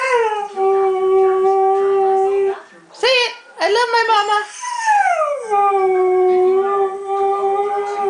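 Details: Dog's morning ritual of talking: long, sustained howl-like tones held steady, then broken by short yelping rises and falls, then a sliding descent into another held note.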